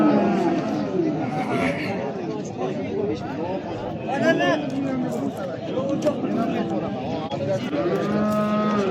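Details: Big bulls at the Oqtepa livestock market in Oltinko'l, Andijan, Uzbekistan: several low, drawn-out moos with rising and falling tones amid trader chatter and crowd noise.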